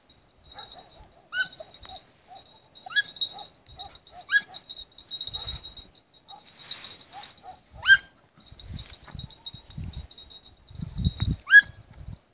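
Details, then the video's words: Red-bluetick beagle puppy, 20 weeks old, practising hare hunting at night: a run of high, sharp rising yelps in irregular bursts, with a steady shrill whine from night insects and low rustling thumps of movement. "red-bluetick beagle 20 weeks old hare pactice in the night"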